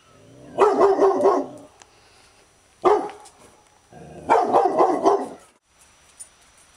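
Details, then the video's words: Labrador Retriever named Lila barking in defence of her territory: three bursts of rapid, deep, rough barks, the first and last lasting about a second each, a single short bark between, with quiet pauses in between. "labrador barking in defense of territory"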